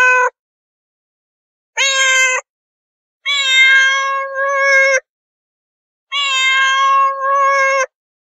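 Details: Domestic cats meowing: a clipped call at the start, then one short meow and two long, drawn-out harmonic meows, each holding a steady pitch for nearly two seconds, separated by clean silence.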